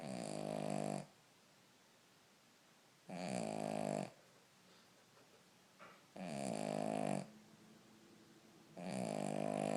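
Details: A sleeping Cavalier King Charles Spaniel snores in a small room, four rough, buzzy snores about a second long arriving every two to three seconds, with soft breathing between them.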